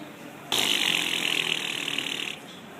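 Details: A horse at the winter equestrian festival in Wellington, Florida makes a rapid, rattling clicking noise with its tongue for nearly two seconds.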